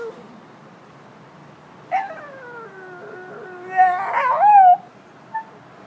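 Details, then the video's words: Stella, a pet dog trying to talk, gives a drawn-out whining howl that slides slowly downward for about two seconds, then breaks into a louder, wavering, rising yowl before stopping, with a short soft yip afterward in a quiet room. "My dog makes funny noises"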